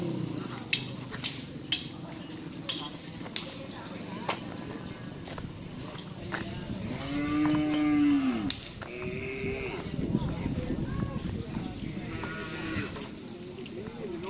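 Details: Cattle during karapan sapi bull race training, a drawn-out harmonic moo rising and falling midway, amid constant men's chatter and shouts, sharp clacks and background noise.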